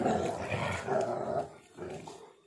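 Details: Pitbull mix and husky playing rough indoors. Continuous gritty growling rises and falls, with a louder surge, then tapers into softer rumbles.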